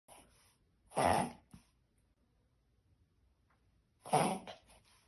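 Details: Yorkshire Terrier (Canis familiaris), reverse sneeze.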